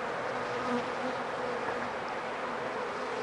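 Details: Honey bees at an opened hive, a queen excluder in use: a dense, even buzzing drone fills the whole stretch with no other clear sounds.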